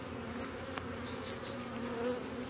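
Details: Steady colony buzz from honey bees at a hive in Brno, 2022, after a chewed-open inserted queen cell was found; even low droning hum with a brief click and faint bird chirps.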